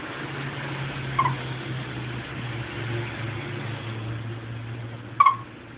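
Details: Female chipmunk looking for her mate calls with two short, sharp chirps about four seconds apart, against a low steady hum.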